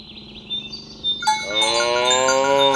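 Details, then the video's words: Tame cattle herded along village roads toward the pen in the morning, mooing to call companions to gather: faint bell tones, then a long harmonic moo begins midway and holds steady to the end. "Suara sapi lembu berkeliaran di ladang rumput hijau memanggil kawan untuk berkumpul - Bunyi sapi"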